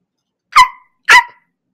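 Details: A dog barking, played as an example of the dog's sound in a farm-animal lesson: two sharp, loud barks about half a second apart, each short with a quick fade, in otherwise silent surroundings.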